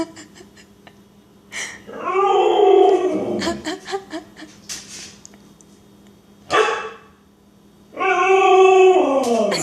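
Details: A jealous Siberian Husky gives long, throaty, warbling moans that rise and fall like Chewbacca noises, with short whiny breaks between.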